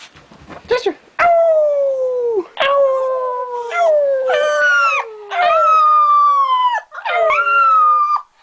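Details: A pet Smooth Fox Terrier howling along with its people: long sustained howls with a falling pitch, each lasting about a second or more and broken by short gaps, building into a steady series of loud wavering notes.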